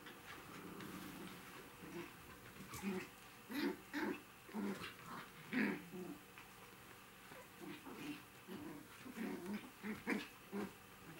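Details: Three remaining five-week-old puppies during a fun evening: soft, short whines and little growly yips repeat irregularly, quiet against a steady indoor hum.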